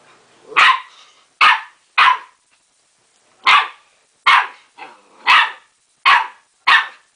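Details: Young dog barking at its mirror image, mistaking it for another dog; eight harsh, clipped barks in pairs and singles, with a pause near the middle.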